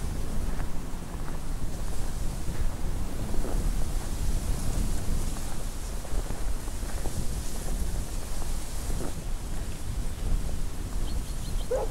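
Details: Strong low wind rumble in winter, steady and gusting throughout, with no animal calls audible.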